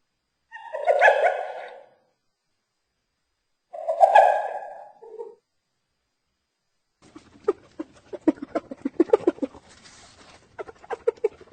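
A hyena gives two drawn-out, nasal calls, then breaks into a rapid, stuttering run of giggling notes.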